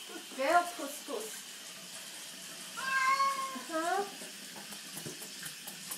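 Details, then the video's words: Cat called Puss Puss protesting during a bath, giving a few short wavering meows then a longer drawn-out cry, with a person talking softly and water sounds in the background. "Bathing my cat "puss puss""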